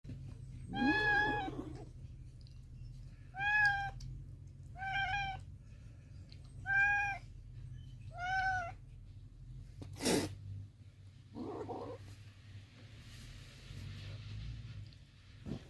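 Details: Kittens from a litter of six, former stray cats in a mountain village, meowing: five clear harmonic mews spaced about one and a half seconds apart, then a brief knock and a fainter cry, over a low steady hum.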